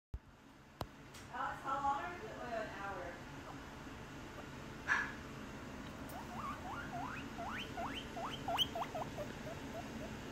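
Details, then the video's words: A male pet guinea pig wheeks for more snacks, standing in the corner looking at people, giving quick, squeaky whistles that sweep sharply upward, repeated in an eager run; he calls like this throughout day and night. "Excited Guinea Pig Sound"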